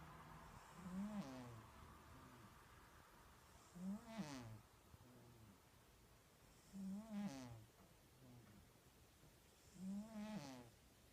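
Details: A domestic cat snoring steadily: a rasping, buzzy breath roughly every three seconds, each starting with a low grunt-like tone and rising into a wheezy, whistling rattle, with quieter soft breaths between.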